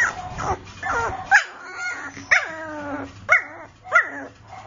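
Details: Chinese Shar Pei puppy yipping: a whiny opening, then four sharp, high, falling barks, about one every second, each with a bright onset that drops in pitch.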